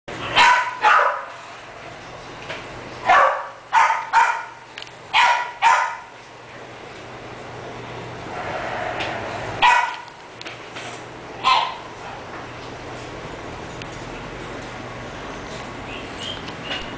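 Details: English Bulldog barking in short loud bursts, single and in quick clusters of two or three, spaced a few seconds apart, with a low steady background hum between barks.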